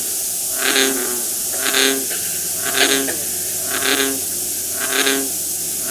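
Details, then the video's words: Snoring frog calls arriving as regular, evenly spaced rasping pulses about once per second, each a short harmonic snore, set against constant hiss. "Snoring frogs"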